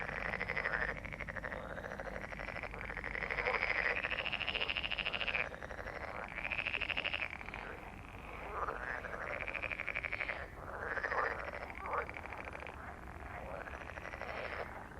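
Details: Many frogs croaking together, rattling pulsed calls rising and falling in overlapping bursts of a few seconds each, steady background hiss beneath.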